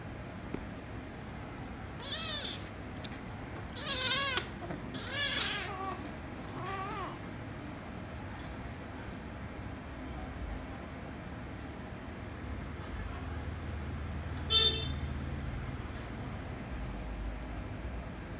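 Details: Kittens, a ginger kitten and a rescue kitten, one made angry by the other before kissing and licking; a few wavering meows in the first seconds, then mostly quiet room hum with one short squeak near the end.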